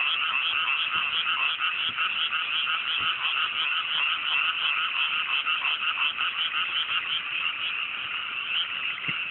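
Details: Many frogs croaking at night in Japanese mountain rice paddies freshly planted, fine cool evening; thick continuous chorus of quick pulsing croaks, slightly softer toward the end.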